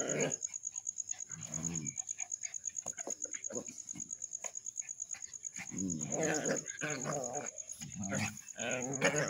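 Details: Village street dogs fighting: rough snarling and growling bursts in quick, uneven succession, with a steady high-pitched whine running throughout.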